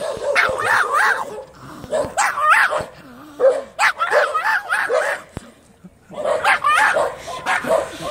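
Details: Dog barking in quick clusters of high, yipping barks, interrupted by a short whining slide before the rapid barking resumes.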